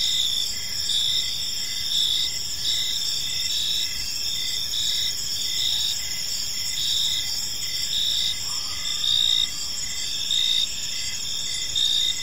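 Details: Evening in a quiet park, where several crickets keep up a shrill, pulsing chorus of overlapping trills, with a faint lower whistle-like note briefly audible beneath them partway through.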